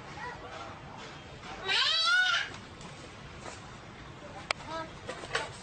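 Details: A domestic cat gives one high, arching meow that rises and then falls, lasting under a second. Faint scattered clicks and soft room noise surround it.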